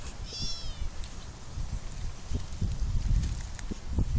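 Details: Cats living in an olive garden in summer; one short, high, thin meow with a clear harmonic stack rises early, then fades, leaving steady low rumble and scattered outdoor rustling and knocks.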